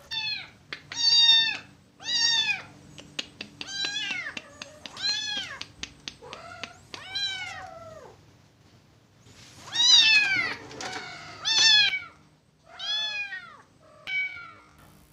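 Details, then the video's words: Blind orphaned kitten rescued from a market without its mother, with its right eye missing, crying often. Loud, drawn-out meows that rise and fall, about a dozen in fifteen seconds, separated by quieter gaps and soft bumping sounds. "Kasihan Anak Kucing Buta ini Sering Menangis😢"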